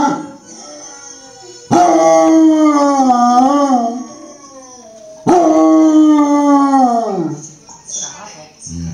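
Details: A female Basset Hound sings along with a dog and a woman singing on TV, giving two long, wavering howls that slide downward at the end.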